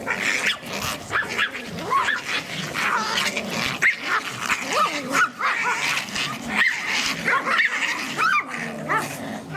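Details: Pomeranian named Norris Elenhouse, six months old, from a kennel in Kyiv: a string of sharp, rising yips and small barks, irregular and excited, with a woman talking affectionately to the dog in Russian.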